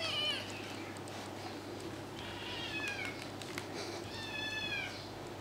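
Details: Two-month-old kittens Tiger and Max play fighting indoors; three high, thin mews, a short one at the start, then wavering, slightly falling cries near the third and fourth seconds, over soft rustling and bumps.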